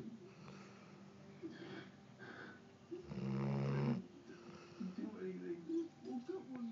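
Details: A Golden Retriever, tired after a long day of running, snores in low, rumbling breaths even when half awake, with one loud, throaty snore in the middle.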